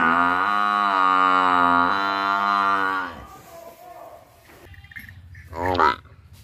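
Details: Buffalo giving a long, steady, deep moo of about three seconds that ends with a downward slide. Quieter rumbling follows, then a brief, rising nasal bleat near the end.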